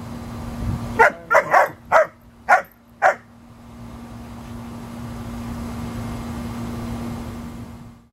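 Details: A 5-month-old German Shepherd puppy and an American Eskimo Dog at play: six quick barks within two seconds, then a steady low hum and faint background noise for the rest of the clip.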